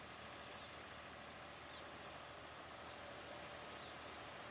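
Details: Two Mauritian tomb bats clinging to a tree trunk in daylight while mating; piercing very high squeaks come in short doubled bursts every half second to second, with low steady background noise.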